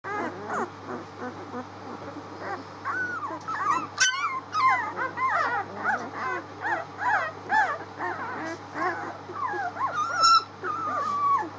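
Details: Six-day-old puppies recorded on 19 March, a litter squeaking and whimpering together in overlapping high, bending cries, with a brief click near four seconds and a steady low hum underneath.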